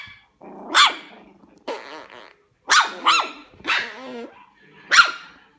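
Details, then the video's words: Puppy giving loud, rough barks mixed with growling, about five harsh bursts over several seconds, some with a wavering whine-like tail and a low grumble between them. "LADRIDOS de PERROS CACHORROS"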